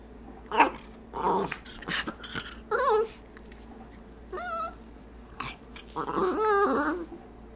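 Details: Pet dog "talking" indoors while staring at a treat jar, wanting a treat: a series of whiny, wavering, rising-and-falling vocal bursts with yodel-like pitch bends, separated by short pauses, plus a woman's voice.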